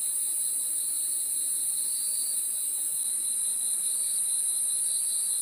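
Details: Many crickets at night producing a continuous thin, high-pitched ringing with a lower, wavering buzz beneath, constant in volume with no breaks.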